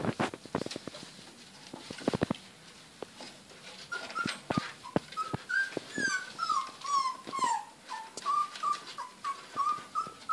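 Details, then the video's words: Playing Border Collie puppies at day 28 give a run of high, wavering whimpers and sliding yelps, repeated in short bursts, after early thumps and clatter from their romping. "Border Collie Puppies Day 28 : Playing"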